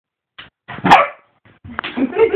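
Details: Golden retriever playing against a boxer at home: a short sharp bark near one second, then scattered yelps and rough vocal sounds over the last second, with quiet gaps between.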